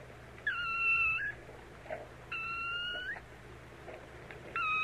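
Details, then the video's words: ['Kittens: three thin, high, steady mews, each under a second long and spaced about a second apart, over a faint low hum.'] "sounds of kittens"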